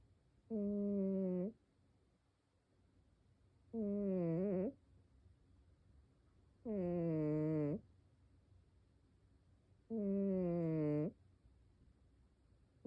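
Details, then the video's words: Sleeping cat snoring in a quiet room: regular, hum-like snores lasting about a second, repeated four times at roughly three-second intervals, each ending with a brief pitch wobble. "고양이 코골이"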